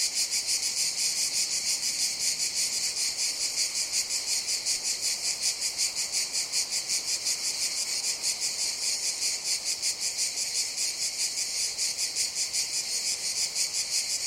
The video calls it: Sounds of Cicadas